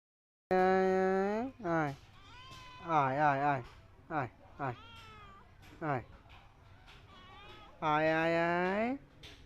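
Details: Cats and kittens meowing: a run of drawn-out, wavering meows, some rising and falling, several short, clustered mews in the middle, and a final long, loud meow.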